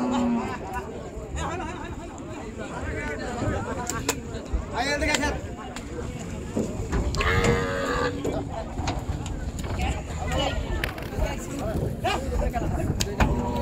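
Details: Big cattle being unloaded from a boat at Gabtoli cattle market (Gorur Haat), 2022. A low, drawn-out lowing moo rises above steady crowd chatter and men's voices, with a shorter moo near the start and busy market bustle throughout.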